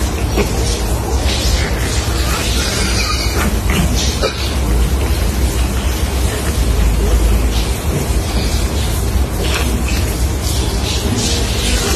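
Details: Loud, dense mix of music, speech and booming bursts fills the whole stretch without pause.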